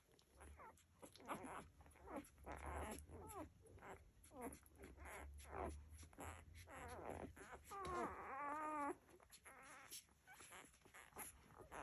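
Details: Nursing Labrador Retriever puppies making a steady stream of whiny squeaks and whimpers, several wavering trilled calls near the end, over soft low rumbling and suckling sounds.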